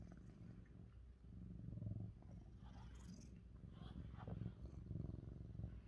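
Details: Lynx point Siamese cat being brushed indoors, purring loudly; low continuous rumble with faint brushing sounds and light background noise.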